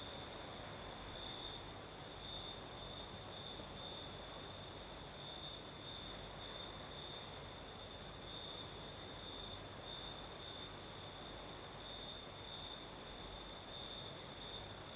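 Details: Crickets in the south of Crimea sing through the night breeze, a constant high trill beating in soft regular pulses for fifteen seconds, a higher faint shimmer above and mild wind noise below.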